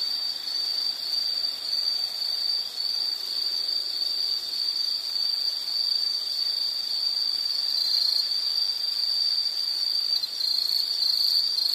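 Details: Continuous high insect chirring in a nature ambience meant for relaxation, a steady shrill band with slight waverings and a faint higher buzz, the level barely changing throughout.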